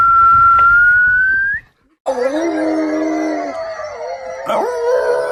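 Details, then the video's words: Domestic dog howling: a high whistled note glides slowly upward, stops, and after a short silence a dog's long, steady, harmonic howl follows, wavering slightly and dipping near the end, with faint background murmur. "Funny Dogs Howling"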